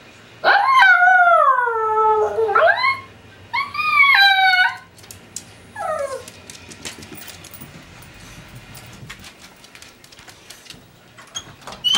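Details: Male Tibetan Spaniel giving his alarm call as his owner leaves, from separation anxiety. Drawn-out, wavering, howl-like cries that sound pained slide down and up, in two long bursts and a short falling yelp, followed by quiet household noise.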